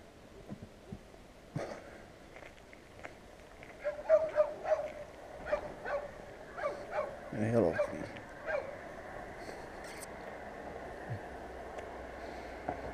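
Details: Annoying street dogs barking at passers-by, captured with a GoPro Hero: a long irregular series of sharp barks, densest in the middle, with a faint human voice and scraping noises beneath and a steady hum toward the end.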